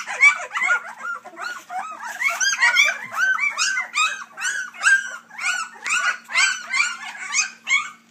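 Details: Nonstop high-pitched crying from a three-week-old Dixie x Colby puppy litter, many rhythmic curved squeals stacked together, loud and steady over a faint low hum.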